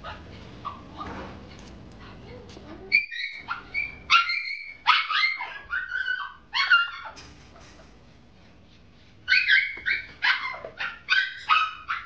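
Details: Brown female Chipoo puppy, a Chihuahua and Toy Poodle cross, giving high, sharp yapping barks in bursts, some doubled or tripled, with a quiet pause mid-clip and a renewed run of rapid yaps at the end.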